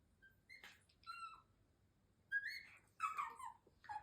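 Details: Shiba Inu, the older firstborn female who has made odd sounds since puppyhood, talking to her mother indoors: high whistled whines that glide up and down, in short bursts with pauses between them.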